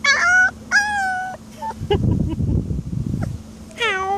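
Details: A week-and-a-half-old Alaskan Malamute puppy gives short, high, wavering howls, howling for the first time, likely from hunger.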